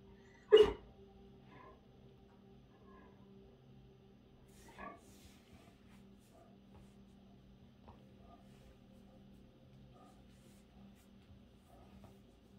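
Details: A Great Dane "talking" to his bone and showing off gives one sharp, loud bark, then a soft grumble against a low indoor hum.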